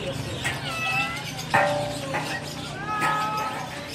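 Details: Persian kittens at a pet market in Multan give high, drawn-out meows that rise and fall, with voices and market bustle behind.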